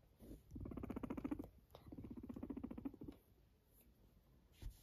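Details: A Sheltie (Silkie) guinea pig gives a low, vibrating purr, a fast rattle of pulses in two runs of roughly a second each, with brief rustles and soft knocks between and after.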